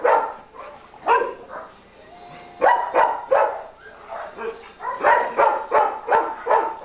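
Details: Playing German Shepherds from a coastal rescue group barking repeatedly, roughly three barks a second in uneven clusters, with rough play growls in the gaps.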